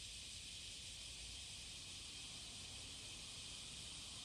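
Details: Cicada courtship song, summer morning of July 30, 2017, Passage de la Duee: a continuous shrill buzzing wash, steady in loudness, over a soft low murmur.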